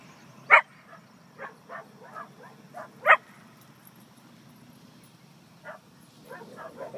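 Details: Dogs barking in a park during a coyote chase, some shut inside a vehicle: two sharp, loud single barks a few seconds apart, between fainter, softer barks and yips, over a steady low background hum.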